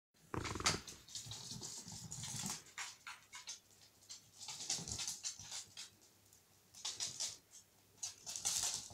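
Corgi puppies yapping and growling at play, with short sharp yips and scuffling.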